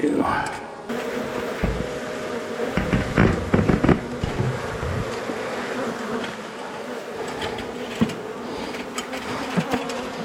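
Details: Agitated honey bee colony being cut out of a house wall at dusk, with a constant swarming drone overlaid by irregular knocks and thuds from the work, and a short burst of other noise at the start.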